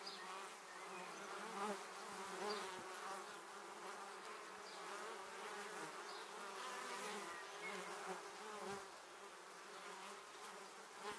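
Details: Honey bees streaming to their beehive, filmed with a 360-degree camera in 2017: eleven seconds of steady, wavering swarm hum from many bees, without any single standout close pass.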